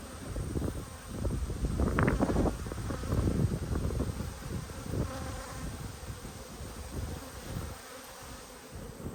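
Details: Open honey bee hive under inspection, 19 March 2022; a low rumbling hum of many bees swelling louder in the first half, then settling, with light crackling handling noise.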